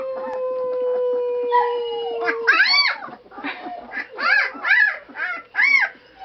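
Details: Blue, a pet dog indoors being taught to howl, holds a long, steady, mid-pitched howl for over two seconds, then a person repeatedly calls "Howl?" in short rising-falling syllables.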